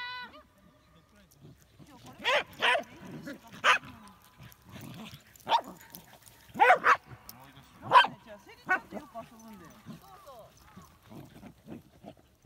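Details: Pembroke Welsh Corgis racing around and playing together in an open outdoor area: sharp, loud single barks spaced irregularly over several seconds, with people talking and laughing in between.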